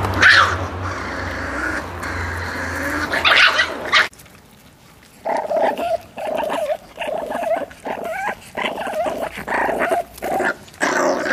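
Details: Miniature Pinscher puppies, eight and six weeks old, growling when given meat: after a noisy opening, short harmonic growls come in bursts with brief pauses, roughly a dozen over the last six seconds.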